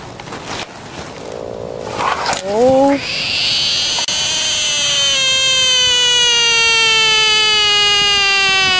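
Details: Frog screams after being caught: a long, sustained, strongly harmonic wail that starts abruptly after brief talking and handling noise, then holds for about six seconds while slowly sliding lower in pitch.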